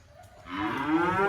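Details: Black sacrificial cattle unloading from a truck at a rural pen: after a quiet moment, a moo begins and swells upward in pitch and loudness over under a second.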